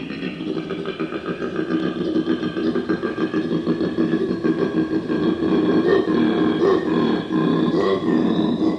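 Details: A koala gives a deep, rasping run of grunts that swells louder as it goes on; such sounds are described as a defence mechanism.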